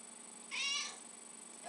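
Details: A single brief high meow from Lucy, a pet cat asking for tuna indoors, lasting about half a second against quiet room hiss.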